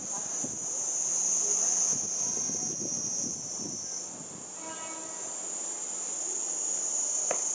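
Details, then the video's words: Cicadas during a Japanese summer in 2014, filmed on a Panasonic Lumix TZ20/22 and said to exceed 120 dB: a steady, piercing high-pitched drone swelling and fading slightly, over low rumbling, clanks and tonal mechanical noise like a passing train. "Cicada sound in japanese summer over 120db!"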